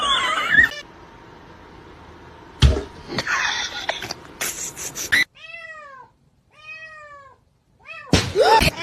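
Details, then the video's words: Domestic cat billed as part of a cat fight: after several seconds of loud broadband noise and thumps, three clear arched meows rise and fall one after another in near silence, followed by a final burst of noise. "Cat Fight"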